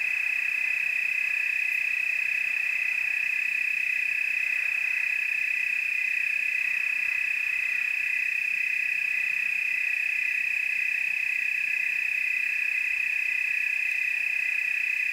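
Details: Tree cricket chorus in the Willamette Valley, Oregon: a steady, unbroken high trill holding one even pitch, with faint overtones above, for the full fifteen seconds.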